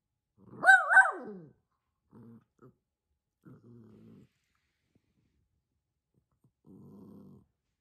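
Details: Aging, near-senile dog barking at no one, one loud harmonic bark followed by a few short, low, quiet growling rumbles.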